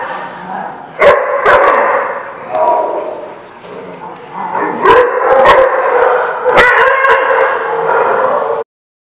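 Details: Dogs barking at a dog lot, recorded 29 April 2016; several short broadband barks, partly in pairs, over a busy background of mid-pitched yips and chatter from other dogs.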